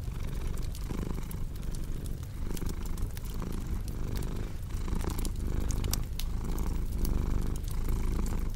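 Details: Rhythmic purring from a cat, a throaty vibrating hum rising and falling with each breath about twice a second, with bright crackles from a fireplace sprinkled throughout.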